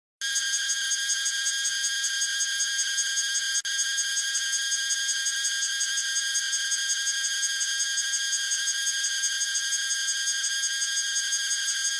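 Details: Cicadas producing a continuous loud, high, pulsing buzz with even rapid throbbing, steady for the whole stretch, high-pitched and uninterrupted.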